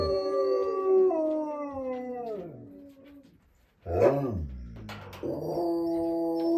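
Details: At a southern Ohio wolf sanctuary, a wolfdog gives a long howl that slides steadily downward and fades, then after a short silence a rising-falling yelp and a fresh steady howl.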